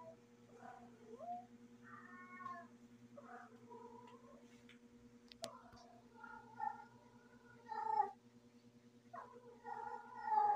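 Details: Female cat in heat giving a string of moaning, wavering caterwauls, some short and some long and sliding, with a sharp click midway and a constant low hum behind.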